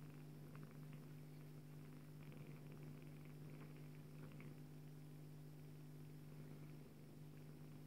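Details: A nursing Bengal queen purrs to her female kitten: unbroken low hum at a quiet level, with occasional faint shuffling sounds.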